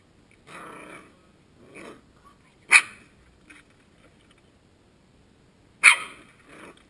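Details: Coton de Tulear puppy Suki playing, attacking and dancing indoors: two sharp, high yipping barks about three seconds apart, with softer breathy growl-like grumbles between them.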